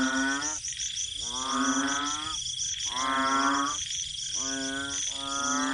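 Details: Many banded bullfrogs calling loudly together at a garden home at night after heavy rain; deep, nasal, drawn-out croaks about a second long come in overlapping bursts with short gaps, over a steady high-pitched drone.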